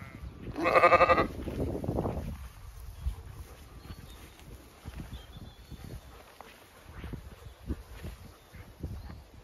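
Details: Zwartbles sheep, ewes with growing lambs grazing and resting in shade on an Irish farm in County Kilkenny, hot May day; one loud, quavering, rasping bleat at the start, then thumping footsteps and grass noise.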